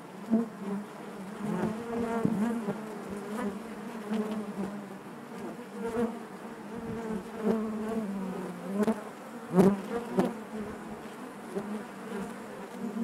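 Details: Steady hive hum from a honey bee colony, a low droning buzz layered with harmonics, rising and falling in loudness with occasional sharp taps and scrapes as bees move about inside.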